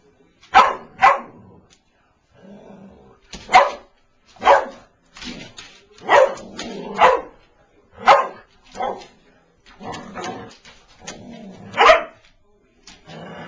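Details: Pet Boston Terrier taking on a toy mouse barks again and again in short, sharp bursts, often in pairs about every second, with brief pauses and a soft voice or rustle between barks.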